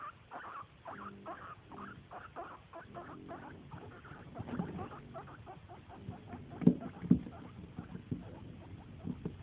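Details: Guinea pig asking for snacks: short squeaky calls repeated rapidly, about two each second, over a steady rustling patter, with a few louder squeaks near the end.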